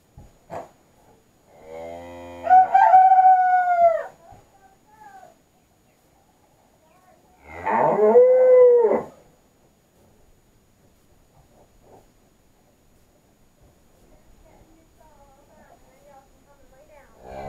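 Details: Belted Galloway cattle in a barn with fresh shavings: two loud, drawn-out moos, the first rising and then held steady, the second arching and falling, about five seconds apart, with quiet barn rustling between.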